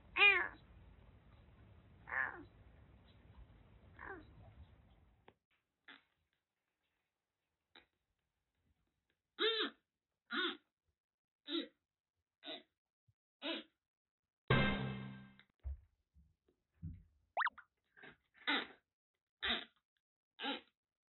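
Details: Rescued kitten in Kagoshima, found soaked during record heavy rain in western Japan, with severe cat flu blocking both eyes and nose; a series of short, clear, arching meows, about a dozen spaced around a second apart, low rumble early on.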